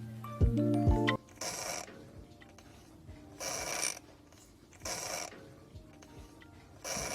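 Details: A domestic cat with a wheezing problem present since kittenhood, though eating and drinking normally, breathes with a harsh, hissing rasp like a creaking door on each breath, repeating about every one and a half seconds.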